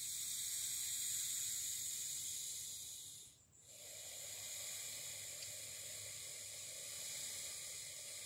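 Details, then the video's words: Grumpy snake found on a morning dog walk hissing: a continuous, harsh airy rush that holds for about three seconds, stops briefly for a breath, then resumes just as steadily to the end. "a grumpy snake (sound on!)"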